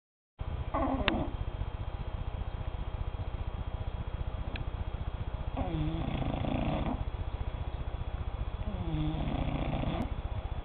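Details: Sleeping cat snoring, slow breaths in and out with rough nasal rasps about every three seconds over a steady low hum.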